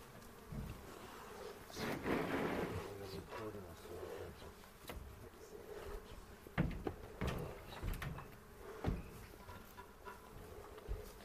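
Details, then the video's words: Honey bees at a hive inspection on April 27, 2018, in a bee yard in the foothills near Cochrane, recorded with a 360 camera; steady low colony hum with handling knocks, a brief human voice and a few sharp clicks. "Bee Hive Inspection"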